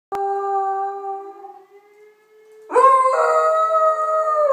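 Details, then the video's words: Beagle crying in response to a siren: a long steady mournful howl that fades, then a louder wavering howl with rich overtones, held for nearly two seconds. "Beagle crying cause of siren sound"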